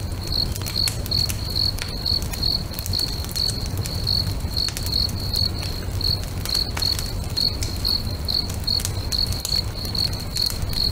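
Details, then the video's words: Lakeside crickets at sunset, their thin, high chirps repeating rapidly and steadily around two to three each second, accompanied by frequent sharp bonfire crackles and a constant low roar of flames. "FIRE & CRICKETS AMBIENCE"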